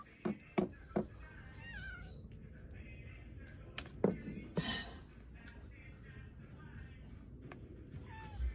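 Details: A male Maine Coon cat out in a snowstorm gives a few soft, falling meows amid thumps and steady wind-like noise.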